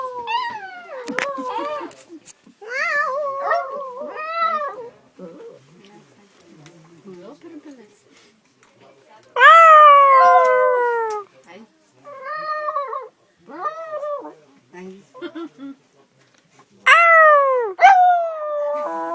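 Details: Dog on a train performing for amazed passengers, with short yowling wails between stretches of Bulgarian chatter, including strong arched howls that rise then slide down near the middle and the end.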